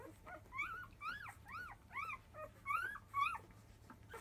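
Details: Field-type Labrador Retriever puppies, five days old, making a loud fuss as nursing begins shortly after 1 pm: a rapid series of high, arched whines, each rising then falling, roughly two per second, over a faint low indoor hum.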